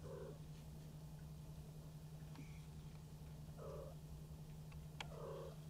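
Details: Maine Coon kitten, one month old, at a breeder's cattery in Tokyo, purring in an unbroken low rumble; three short soft mid-pitched sounds break through at roughly two-second gaps, with a faint click near the end.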